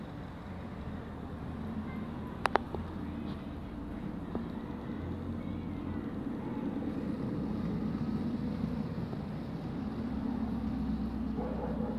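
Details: Quiet outdoor rumble of distant vehicles with a couple of sharp clicks early on and no clear animal voice.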